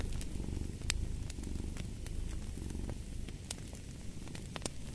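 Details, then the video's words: Low rumbling purr of a cat alongside a crackling fireplace, the purr softening toward the end while fire pops and snaps keep sounding at irregular intervals. "Fall asleep to the Purring of a Cat & Fireplace"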